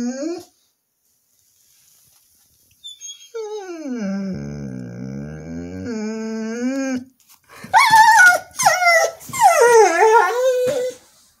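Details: Female Border Collie singing, cause unknown: a long, smooth, sustained howl that dips then rises, followed by a burst of loud, wavering yodel-like yelps descending in pitch.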